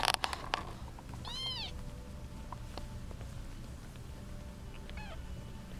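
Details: One of eight kittens (seven girls, one boy) jostling for their eight-month-old mother gives a single clear rising-falling mew after a few sharp knocks, followed later by a faint short squeak over a constant low hum.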